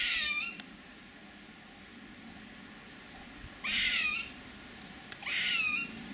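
A squirrel gives three short, high, whiny calls, each a stack of quickly falling notes.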